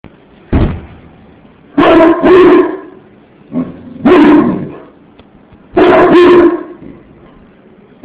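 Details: English Mastiff barking: deep, heavy woofs, some single and some doubled, each followed by a pause of a second or more, about four bursts in eight seconds, in a quiet setting.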